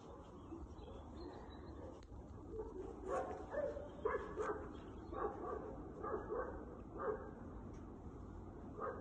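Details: A pair of Segugio Italiano hounds, Gordo and Tom, being trained on hare; repeated baying barks come in a loose series from mid-distance over a steady background rumble.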